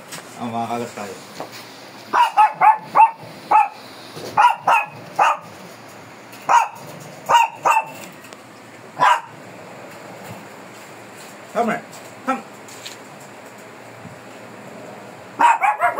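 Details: Shih Tzu, described as fierce, being groomed: short, sharp yapping barks in bursts of two to four, with pauses between, over a low steady hum and some faint talk.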